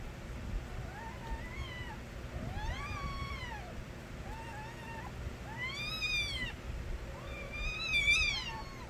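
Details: Stray kittens calling loudly, a busy series of short and long arched meows from more than one kitten, some lower and softer, the final cries sharp and high, over steady low background noise.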